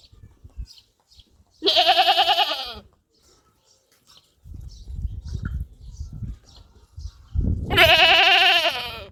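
A goat gives two loud, wavering bleats separated by a few seconds of low rumbling noise.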